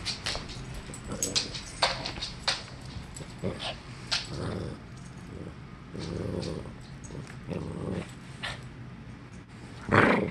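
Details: Norfolk Terrier at play in tug of war, growling in short throaty bursts mixed with clicks and scuffles, a louder rough burst near the end.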